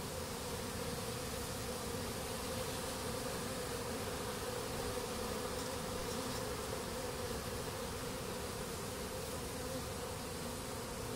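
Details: Many honey bees on the Yanagase warehouse rooftop after honey was pressed from their comb, October 2012, making an unbroken droning hum, thick and even from start to end.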